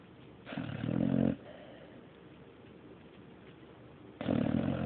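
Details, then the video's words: Mario the dog asleep and snoring, two low, rough, vibrating snores roughly three and a half seconds apart, the first swelling over almost a second, quiet breathing in the gap. "Mario snoring III"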